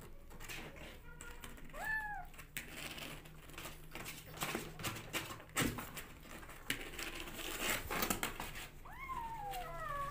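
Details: Rescue kittens jostle for bottle feeding indoors; two short rising-then-falling meows, one near the start and one near the end, break through steady rustling, scratching and handling noise.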